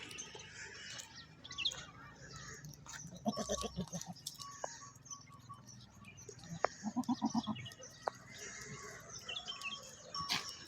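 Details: Goats in a village at morning time, with two short, tremulous, quavering bleats near the middle and end, a faint chatter of small birds, and soft background rustling.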